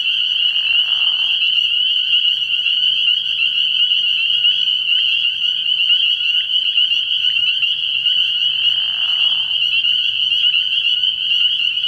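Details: High peeping of many spring peepers fills a frog pond at night early in the year, a constant shrill chorus broken only by two short, lower buzzy bursts near the start and toward the end.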